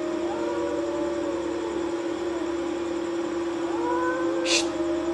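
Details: Two cats fighting on a wall at night, with wavering, moaning yowls that rise and fall slowly, a short hissing burst toward the end, and a steady electrical-sounding hum throughout.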